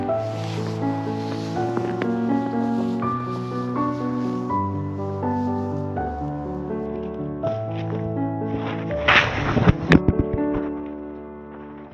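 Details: Melodic instrumental music plays throughout, with a brief burst of crunching and rustling noise near the end, and no animal voice.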